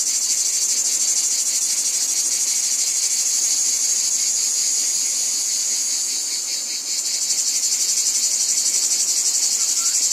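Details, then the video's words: Cicadas calling in a wheat field: a dense, shrill, high-pitched buzzing chorus with a fast pulsing throb, a brief dip in loudness around seven seconds, then back to full strength. "Wheat Field Cicadas Background Noise"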